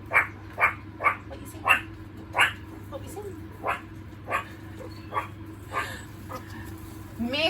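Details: Captive meerkat group of three adults and three babies gives alert calls: sharp, barking chirps about twice a second, warning the others of something uncertain such as a bird or helicopter overhead.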